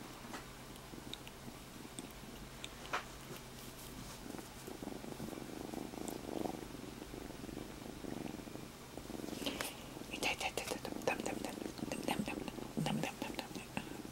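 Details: A just-rescued kitten lies on its owner's stomach and keeps up a soft rumbling purr, with louder rustling and fabric or body movement noises in the second half.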